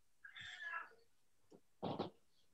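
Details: Burmese cat, back home after a vet visit and operation the day before, moaning like a crying child in the background: a drawn-out wavering wail, then a short faint sound and a brief double-pulsed cry.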